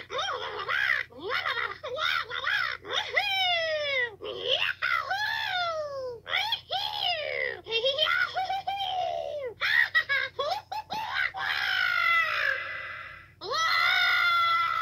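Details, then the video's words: Screaming toad, filmed 2/10/2022, in a long run of piercing harmonic cries that sweep downward or bend up and down, some stuttered into quick bursts, others drawn out nearly two seconds; faint low hum behind. "Toad Screaming"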